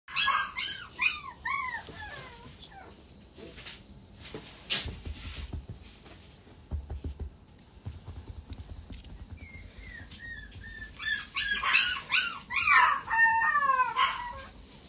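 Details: Calm female Shiba Inu puppy: clusters of high, quick yelping whines that rise and fall, opening the recording and returning more intensely near the end, with a quieter stretch of faint rustles and knocks between, over a steady thin background tone.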